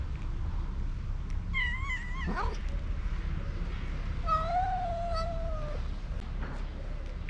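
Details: Mother cat and kitten meowing for food out of hunger: two wavering meows, one quick and bending up and down, the other long and gradually falling, over low background noise and faint voices.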